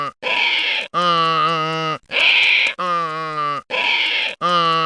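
A donkey brays, alternating harsh wheezy intakes with loud, deep honking hee-haw notes in a steady rhythm.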